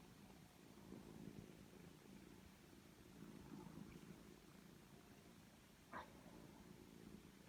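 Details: A mother cat and her three-week-old foster kittens, sheltered inside after rescue. A low, pulsing purr runs throughout in uneven surges, with a single sharp click near the end and quiet background hiss.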